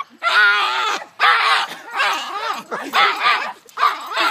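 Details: Small farm dog, described as crazy with a Napoleon complex, screaming like a gremlin: five long harmonic wailing bursts, each roughly half a second to a second, with wavering pitch and short gaps between them.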